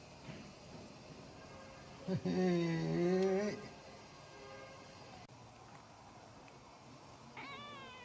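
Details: Kitten eating cat strips and refusing to let go even when hoisted into the air: one drawn-out, wavering, low harmonic cry lasting about a second, a quiet stretch, then a shorter, higher cry near the end.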